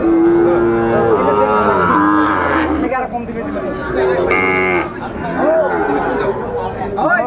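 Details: Sahiwal bull calves at Ambari cattle market in Dinajpur, Bangladesh, on 11 March 2024 at the start of Ramadan; a low, drawn-out moo opens, followed by further lowing over steady crowd chatter and nearby voices.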